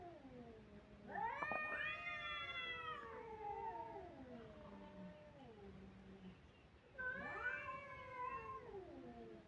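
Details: Crying kittens giving long wailing meows: a loud, rising-then-falling cry lasting about three seconds that trails into lower, fading notes, then a second bright cry near the end.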